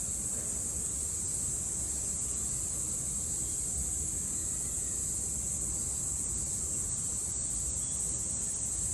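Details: Cicadas singing in Japan in summer 2022: a steady, piercing electric-like buzz fills the air without interruption, over a quiet low rumble.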